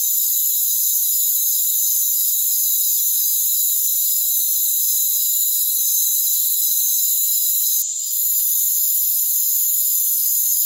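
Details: High, ceaseless cricket trilling in a rainforest, several pitched layers humming together without pause except a brief drop near eight seconds; the low range is empty.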